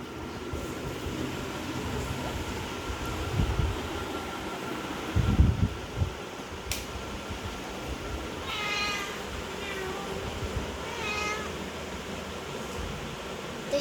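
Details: Mini, a pet cat, meows a few short, bright, wavering times late in the recording. Before that comes a quieter stretch with low thumps and a steady background rumble.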